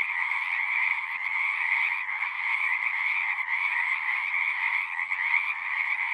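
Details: Frogs call en masse from a horse-pasture pond, recorded with a Zoom 6. A constant, high, ringing trill blends with a softer lower drone, and faint flickers of individual callers show through the steady mass.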